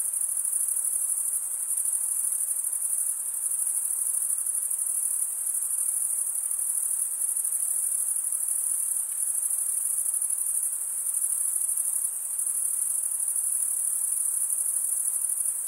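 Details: Cricket chirping, the stridulation of males scraping wing against toothed wing, forms a constant piercing high trill. It continues evenly throughout, with a few faint dips in volume, and no other animals or noises.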